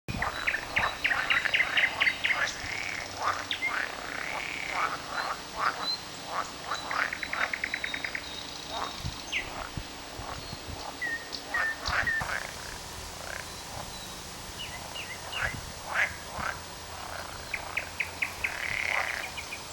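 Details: Several frogs croaking on 18 May 2010; rapid bursts of short, rattling clicks and pulsed trills repeated in quick runs, overlapping callers forming a dense, irregular chorus.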